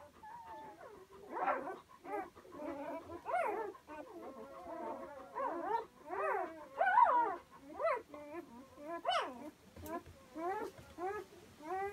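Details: One-day-old Komondor puppies whimper and squeal in overlapping, wavering high-pitched cries.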